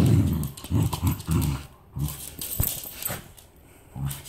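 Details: Hermes, a Pembroke Welsh Corgi, attacks his favorite rat toy with low, rumbling growls. They come in short bursts about every half second and then give way to softer scuffling and mouthing noises.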